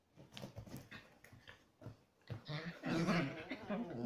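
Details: Chihuahua cross dogs at aggressive play inside: soft scuffling snorts build into louder throaty growls and grumbling vocalizations over the final seconds.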